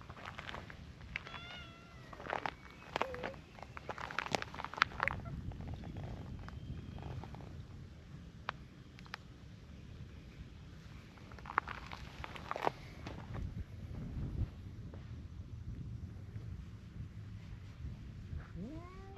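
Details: Two cats, a brown tabby and a tortoiseshell, quarrel while keeping a slight distance apart: wavering, harmonic yowls cluster in the first seconds with low grumbling growls, then scattered clicks and rustling, and a rising cry near the end.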